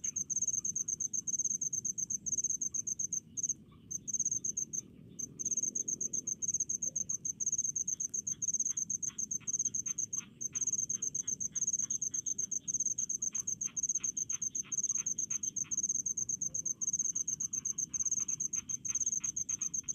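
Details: Crickets calling in rice fields: a dense, continuous high-pitched trill of rapid pulses runs steadily throughout, with brief gaps near the start and faint lower clicking ticks in the background.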